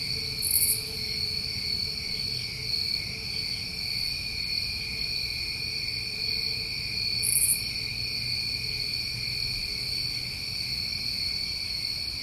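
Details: New England summertime crickets at night, a dense continuous chorus of steady high trilling bands, with brief brighter buzzy bursts near the start and again after seven seconds.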